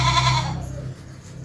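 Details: Goat on a farm in Pakistan, a doe with seven kids, giving a short bleat in the first half-second: harmonic, slightly wavering, then trailing off into quiet background.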